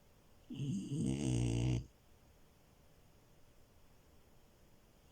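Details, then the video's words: A French Bulldog named Milo, a puppy, snoring while asleep on a bed: one long rumbling, harmonic snore of about a second and a half, low and throaty, then quiet room background. "Frenchie love and her snores"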